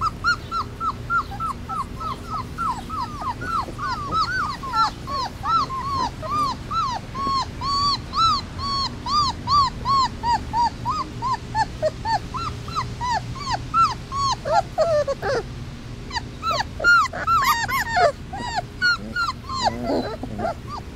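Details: A litter of three-week-old Basset Hound puppies, outdoors for the first time, cries for their mommy: a near-continuous chorus of arched, whining yelps, several pups overlapping, some sharper squeals rising toward the end.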